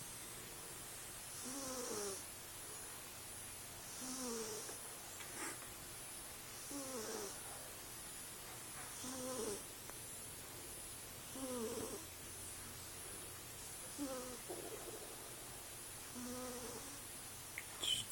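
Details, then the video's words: A female Bombay cat asleep and dreaming snores softly: breathy, rasping snores come roughly every two and a half seconds, with a low steady hum beneath them. "Cat dreaming and snoring"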